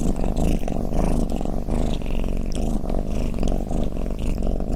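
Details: Domestic cat snoring, a sound offered to lull other cats to drowsiness: a steady, deep rumbling purr-like drone swelling and easing with each breath, dense low vibration throughout and no other sounds.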